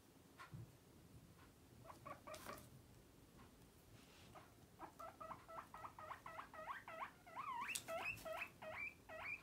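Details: Batosh, a pet guinea pig, whistling: after a few scattered squeaks comes a fast run of short, harmonic whistles, about three per second, rising into louder, upswept squeals near the end. The room is otherwise quiet.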